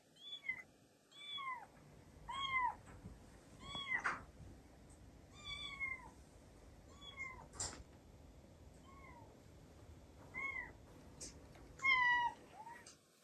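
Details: Recorded meows of Tsukushi as a young kitten, a female brown tabby-and-white cat now two years old, played at home to other cats, who gathered. Series of short, bright, downward-curving meows, about ten across the stretch, with soft household noise between.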